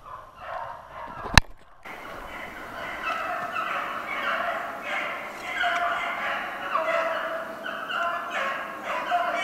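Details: Beagles hunting snowshoe hare on 2/25/16: a sharp click early on, then a pack chorus of overlapping, wavering bays rising and falling continuously over the rest of the clip, with no other clear sounds.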